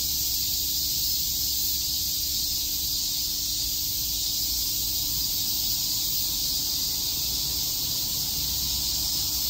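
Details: Cicadas chirping on a summer day in Shakujii Park, Tokyo: a dense, steady, high hissing buzz that holds without a break, with a faint low hum beneath.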